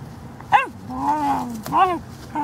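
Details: Female Cairn Terrier vocalizing playfully in November 2016: a sharp rising-falling yowl, a drawn-out level moaning tone, then another arched yowl, like grumbling dog 'talk', with a quiet indoor background.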